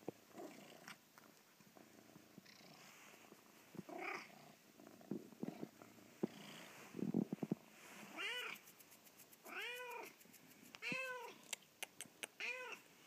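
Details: Penelope, a house cat, whines at sunrise to get her owners out of bed; soft rustles and clicks first, then four loud arched meows in quick succession near the end.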